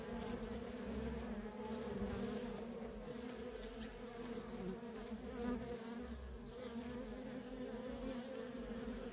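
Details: Dense, even drone of many worker honey bees moving nonstop at a wild feral colony, a thick low hum with bright overtone bands holding steady for the whole stretch without pauses.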